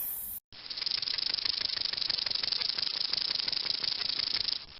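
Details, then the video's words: Snake hissing: a steady, airy, high-pitched hiss lasting about four seconds, with a faint rapid pulsing throughout, after a brief burst of noise and a short gap at the start. "Snake (Animal Sounds)"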